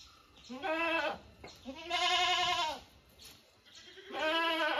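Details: Three quavering, nasal bleats from owned domestic goats, each lasting about a second, the middle one the longest and loudest, with short pauses between them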